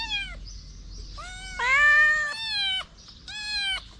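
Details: Stray kitten standing on two legs to lick fingers, giving four clear high meows, each bending upward then falling away, the second and third louder and longer, with short gaps between them.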